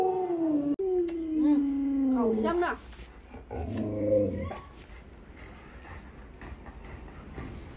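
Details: Household Alaskan Malamute howling in long descending tones, followed by short wavering yips, with human speech and room noise in the later part.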